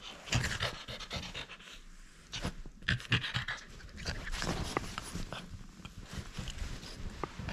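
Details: French Bulldog refusing to give up a toy during play: uneven panting and nasal snorts in loud clusters, separated by brief quieter gaps, with clicking scrapes.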